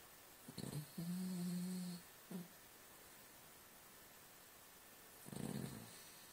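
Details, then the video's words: Sleeping Cavalier King Charles Spaniel snoring indoors: a short rasp, then a steady low humming snore lasting about a second, a brief snort, and a later rougher, noisier breath. "Our Cavalier King Charles Spaniel snoring."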